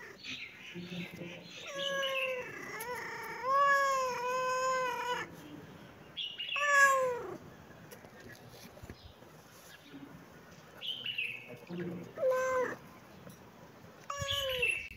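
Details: Repeated cat meows, one long warbling cry that rises and falls, then several shorter, sharply descending mews spaced a few seconds apart in a quiet room.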